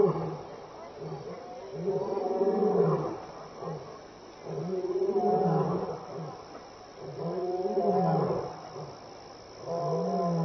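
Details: Lion at Elephant Plains Game Lodge, South Africa, on 26 May 2011 between 6 and 7 PM, walking by and contact calling: a series of deep, moaning grunts roughly every two seconds, each rising then falling, with no other clear sounds.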